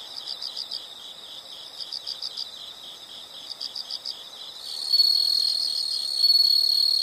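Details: Insects in a natural setting: high, rapid pulsed chirps in short bursts for the first half, then a louder, steady high-pitched trill taking over near the end.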